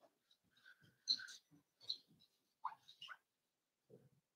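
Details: Four-week-old Cavalier King Charles Spaniel puppies in an indoor puppy pen, meeting other dogs: thin high whimpers and short rising squeaky whines come in scattered bursts, with a soft low snuffle near the end.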